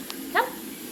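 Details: A female Morkie (Maltese x Yorkshire Terrier) puppy gives one brief, high, tonal whimper over a low background hiss during play time with storm sound desensitization.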